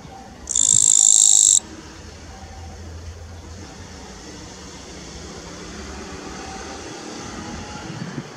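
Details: A green-form Eastern Japanese katydid (Gampsocleis mikado), possibly male, recorded 27 June 2017, gives one loud, high, buzzy phrase lasting about a second, then falls silent.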